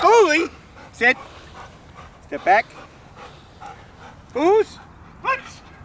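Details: Milo, a jet black German Shepherd in protection training, gives about five loud, ringing barks roughly one second apart. Each bark is a rough, harmonic burst, with faint background noise between them.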